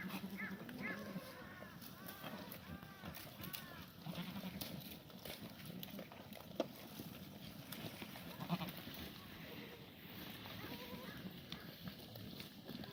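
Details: Korean black goats on a farm in Gimhae, South Gyeongsang, South Korea, on a clear Sunday morning, 24 March 2019, during a late-March cold snap that froze the water trough; a run of wavering, harmonic bleats early on, then rustling and clatter.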